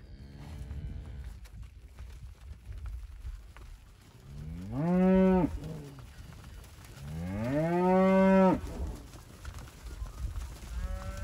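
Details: Red Angus and Angus cows: two long, deep moos, each rising then falling, about three seconds apart, over a low background rumble.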